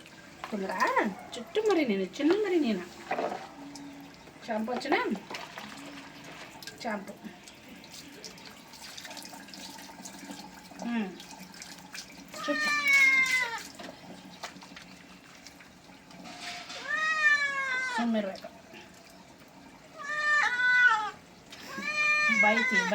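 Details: A cat being given a bath: talking and splashing water fill the first half, then a string of long, rising-and-falling meows grows louder toward the end over running water.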